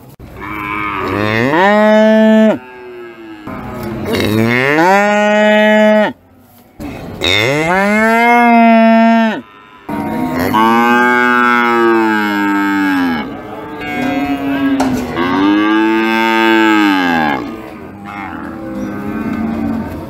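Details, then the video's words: Big sacrificial cattle said to be raging, giving a series of loud moos: several long harmonic lows, each rising and falling in pitch, roughly one every few seconds with short silences between. "Sapi Moo"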